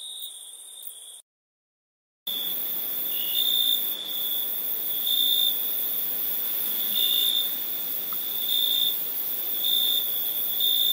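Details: Crickets chirping at nighttime: a steady high, thin trill with brighter pulses repeating under one second apart, broken by a short silent gap near the start, with a faint constant hiss above.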